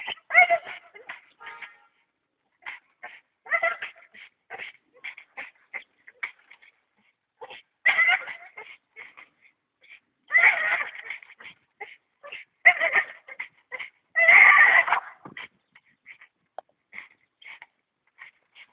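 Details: Staffordshire bull terrier in action, whining and yipping in irregular clusters of short high cries, several louder drawn-out bursts, with faint speech in the background.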